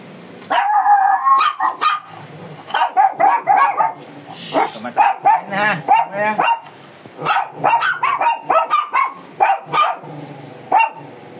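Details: ["Shih Tzu described as fierce, barking nonstop while being groomed: dense bursts of shrill, yelping barks through most of the stretch, with brief pauses and a person's voice now and then."]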